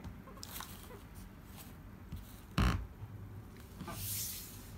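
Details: A tame, friendly guinea pig in Japan purrs in a low, soft, rumbling burr, with a sharp knock partway through.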